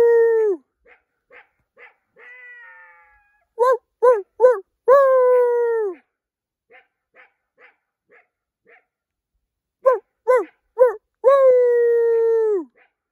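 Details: A coyote under a full moon at night gives sharp yips that run into long, falling howls in two bouts; the recordist says it comes at night and hangs out outside his window.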